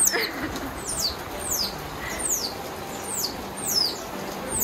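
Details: Baby otters, experiencing their first heavy rainstorm, cry in thin, piercing whistles that slide steeply downward, repeated about every half second, over the steady hiss of heavy rain; they cried because they were scared of the rain.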